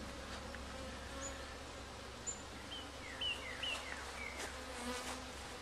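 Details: Honey bees at a beehive during a first hive check, comb found, some returning with pollen on their legs; a steady low droning hum with faint overtones throughout, with several brief high chirps from birds and a few light clicks.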